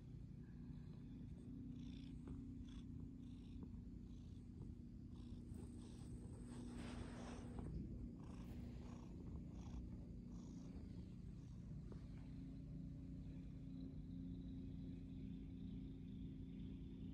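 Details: Domestic cat purring steadily and continuously, a deep even rumble lasting throughout, with faint higher rustling and a soft swell of noise around the middle.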